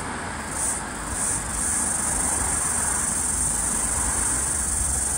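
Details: Floury baker cicada (Aleeta curvicosta) in flight, eastern Australia, 11 February 2023: a few short pulsed buzzes at first, then an unbroken, steady, high shrill drone, with low rumbling noise beneath.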